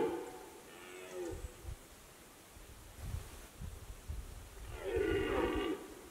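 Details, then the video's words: Red deer in rut, Fatra highland pastures: a fading roar opens, then a few seconds of low thumping and rustling before one loud, coarse, bellowing roar near the end. "jelenia ruja (Jeleň lesný - Cervus elaphus)"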